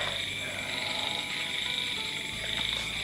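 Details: Many frogs calling together near swamps, a dense, steady high-pitched chorus of overlapping croaks and trills that runs through the whole stretch, with faint room sounds beneath.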